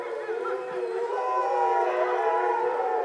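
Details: Captive grey wolves at a visitor center in Šumava National Park, Czech Republic, howling in September at dusk, almost in the dark, somewhere below a bridge; several overlapping, wavering, sustained tones blend into a steady mid-pitched chorus.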